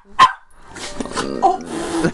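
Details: A pet dog lets out a single short, sharp bark at the start, followed by household noise and a person talking.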